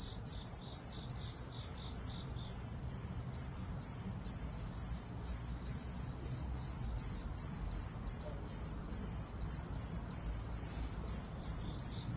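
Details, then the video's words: Possible cricket or grasshopper chirping without pause, around thirty short, high, buzzy pulses over twelve seconds in a steady rhythm, each a tight trill, with faint low ambient noise. "이 소리의 주인공은 귀뚜라미? 베짱이? 여치? # Who makes this sound, a Cricket or a Grasshopper?"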